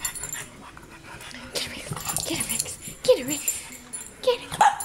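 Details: Young bulldog Leilani, described as crazy, wishing for someone to play with, gives short high whines that rise and fall near the end of the clip. Scattered bumps and background noise fill the rest.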